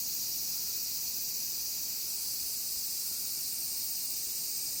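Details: Large chorus of cicadas: a dense, unbroken high-pitched hissing buzz that holds steady at the same loudness from start to finish, with no gaps or separate calls standing out.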